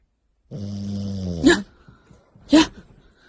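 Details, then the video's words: French Bulldog snoring while asleep: a long droning, harmonic snore that sags slightly in pitch, then two short, rough snorting bursts about a second apart. "흔한강아지 코골이"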